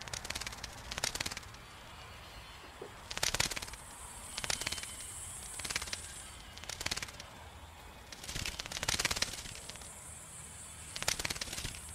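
Bat echolocation rendered as bursts of rapid dry clicks, with a thin high whine running through some bursts.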